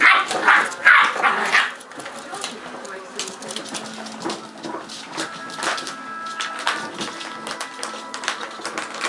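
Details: Seven eight-week-old Cardigan Welsh Corgi puppies at play, born 10/29/10: bursts of high yips and squeals early on, then softer scattered growls and yelps against a steady faint tonal hum.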